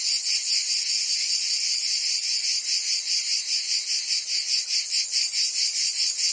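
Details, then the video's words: Cicadas singing in summer in Provence, France: a dense, high, buzzy chorus that throbs steadily about two to three times per second, with no other sounds. "Cicadas singing in France (Provence)"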